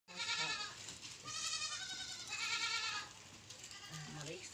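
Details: Goat bleating three times in quick succession, each call a wavering, nasal, strongly harmonic bleat lasting under a second, the second the longest, with faint low background noise between calls.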